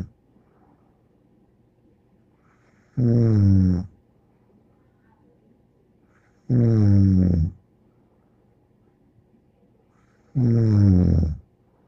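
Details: Bear the dog snoring in a small room, three loud, buzzing snores of under a second each, evenly spaced about every three and a half seconds, each with a thin whistling overtone and soft breaths between.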